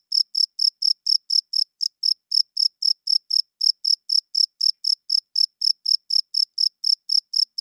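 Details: Loud nocturnal cricket song, produced by the male to draw females and mark territory; a rapid, regular train of shrill chirps near four per second, unbroken and free of background noise.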